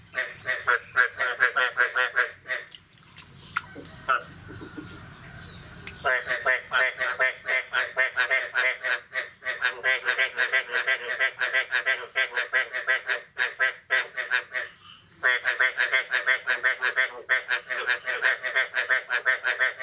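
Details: Morning frog chorus after the year's first rain, 9 May 2022. Rhythmic, harsh croaking pulses repeat about three times a second. A short rustling interruption comes early, then the calling resumes steadily.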